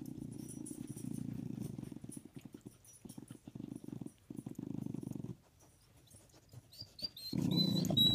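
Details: Dog growling while playing hide and seek, with a corgi and a pit bull playing together under a bed; low rumbling growls in two long bouts separated by a short pause, then a final burst, with a few faint high squeaks near the end.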